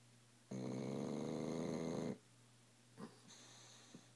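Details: Tilly, a sleeping pet dog, snores loudly indoors: one long rasping, rattling inhale of about a second and a half, followed by quieter breathing and a couple of soft clicks in a small room.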